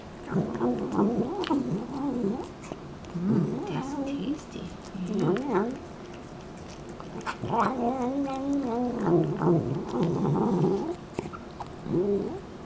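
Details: Domestic cat in a funny pet compilation giving a series of low, wavering, harmonic yowls, each one to two seconds long, rising and falling in pitch with short pauses between, over faint background noise.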